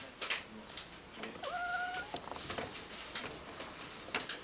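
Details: Ragdoll cat resting indoors on its second day after castration, a little tired but recovering; one short, flat, steady meow of about half a second, otherwise quiet room with faint rustling and clicks.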